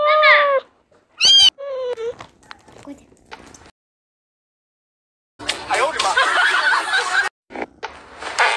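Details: Playing cats meow several times in quick succession, short bright wavering cries at the start, then rustling and a long burst of scraping noise.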